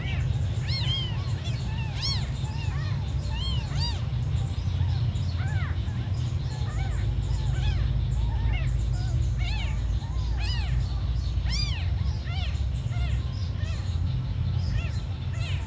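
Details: Tiny abandoned kittens crying continuously, many short high-pitched arched mews from several animals overlapping, set against a constant deep rumble throughout.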